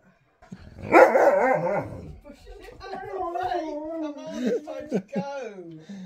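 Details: A burst of mixed voice opens before a Siberian husky on a road trip produces a long, wavering, talkative howl with small rises and dips, broken by short yelps.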